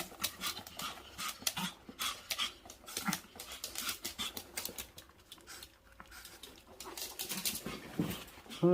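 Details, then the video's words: Dog panting after its owner came back from a business trip, quick breathy puffs repeating several times a second throughout, with a person speaking briefly over it indoors. "출장 다녀오니 선풍기가 된 강아지"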